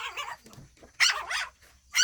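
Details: Several Shih Tzus at home in daytime, playing and eating: soft yelps at first, then a pair of louder, high yips and a final bark, with light background chatter.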